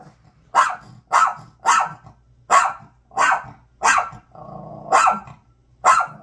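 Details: Dog barking loudly at a bag: sharp, broadband barks repeated roughly every half second to second, eight in all, with a low rumbling growl between two of them.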